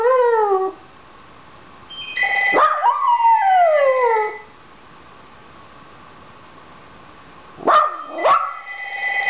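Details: A Dachshund howls to get the phone answered. A brief falling howl opens, then a long wavering howl sweeps down over two seconds, followed by silence and two sharp, quick yips near the end.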